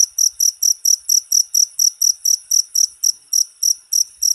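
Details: Cricket (jangkrik) chirping, a short recording used as a master sound to train cage birds: rapid high-pitched pulsed chirps repeated about four times per second, steady and clean with no other sounds.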